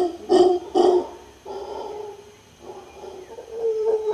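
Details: Two sharp hoarse grunts from a howler monkey in Guanacaste, Costa Rica, followed by a lower, drawn-out rumbling roar that swells again at the close.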